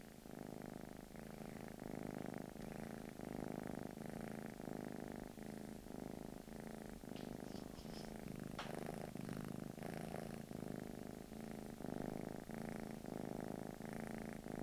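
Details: British Shorthair cat living in England purrs steadily, deep rhythmic rumble rising and falling with each breath, a brief rustle or scratch near the middle, otherwise quiet room.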